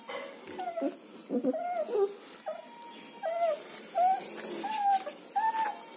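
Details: German Shepherd puppies in Chennai whining in thin, rising and falling whimpers, several overlapping and uneven, some drawn out and squeaky, against a steady hiss.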